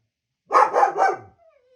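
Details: Reacting to the sounds of other dogs, a German Shepherd gives three rapid, gruff barks in one short burst and then falls quiet.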